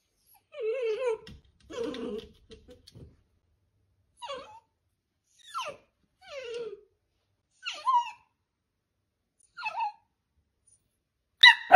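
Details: Domestic Dachshund whimpering: a run of thin, falling whines and yips, each a short downward slide, repeated about every second or so with brief silences between, ending on a sudden loud squeak.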